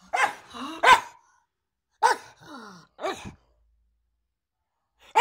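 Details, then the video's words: Pug producing sharp, separate barks about a second apart, with soft whimpering tones between them and brief silent gaps. "Pug Bark"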